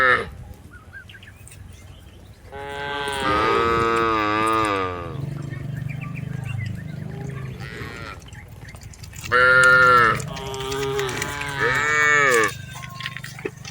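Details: Cattle herded on a rice field, tame and mooing: a long wavering moo, a low grumbling pause, then several shorter higher moos close together near the end.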